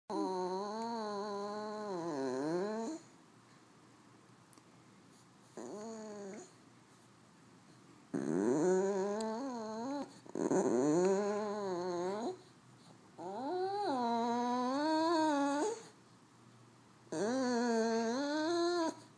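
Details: French Bulldog making funny noises indoors: drawn-out, wavering whines and moans in bursts of one to three seconds separated by short pauses, each rising and falling in a sing-song pattern.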